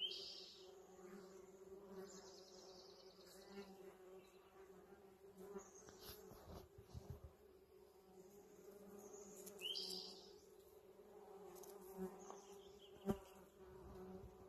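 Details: Steady buzzing of many bees drawn to a holly tree in bloom in a spring yard. The deep, even hum continues throughout, with scattered bird chirps and a sharp click near the end.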